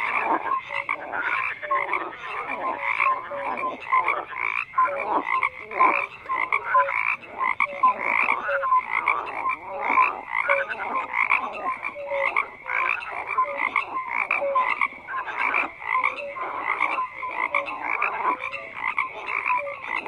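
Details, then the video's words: Many frogs croak at once in a long unbroken chorus, rapid rattling pulses stacked densely, punctuated by short clear whistled notes repeating throughout. "FROGS CROAKING"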